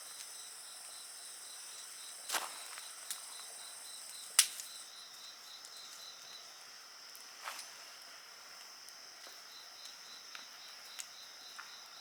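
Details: Insects singing beside a crackling bonfire: a steady high-pitched ringing drone with a fainter pulsed trill beneath, broken by sharp popping snaps from the burning wood.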